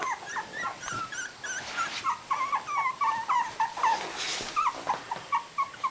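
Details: Three-week-old puppies with eyes open whimper in a steady run of short, high, rising-and-falling squeaks, roughly four per second, over faint rustling.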